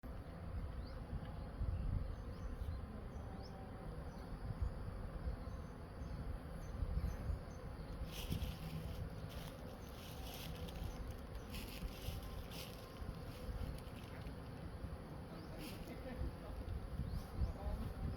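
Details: Honey bees at a honey harvest by Khmer farmers in Cambodia, heard as a steady, low droning hum throughout, with scattered sharp taps and clicks from handling after about eight seconds.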